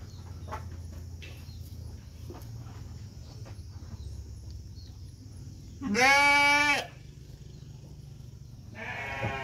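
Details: Batur Merino sheep lambing, with two lambs born: after a quiet stretch with scattered clicks, a loud, strongly harmonic bleat of nearly a second bursts out, and a second, fainter bleat begins near the end.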